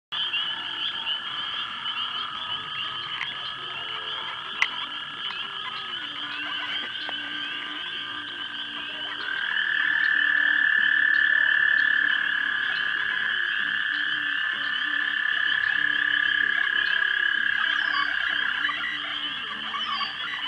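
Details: Frogs at a pond around dusk in March 2011, during mating, filmed with a 3 megapixel camera: a dense continuous chorus of rapid trilled calls, a bright band swelling louder midway then easing, with a fainter higher band above.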